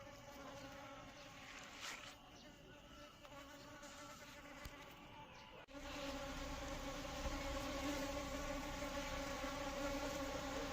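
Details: Asian honey bee (Apis cerana indica) hum: a softer, steady drone that jumps suddenly louder about halfway through and stays strong to the end, its low tone and overtones clearly sustained.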